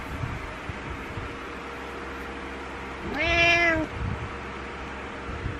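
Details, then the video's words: Domestic cat demanding its owner wake up each morning, as it does not like being alone; a single clear, long meow with a rising start and slight downward bend, set against a constant room hum. "Cat refuses to stop meowing until owner wakes up"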